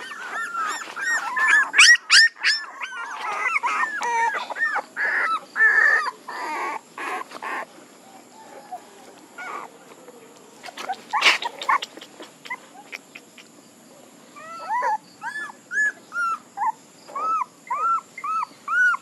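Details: Puppies whimpering and squealing in a lively, irregular stream of high arched cries, dense at first, then a quieter stretch with scattered clicks and thumps, ending in short rising-falling whines repeated about every half second.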